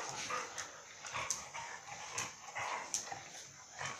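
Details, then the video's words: Playful dogs Mai and Mocca at Phuket Dog Resort; short, bright yips and scrappy growl-bursts come roughly every half second over a steady background hiss. "Mai and Mocca playing"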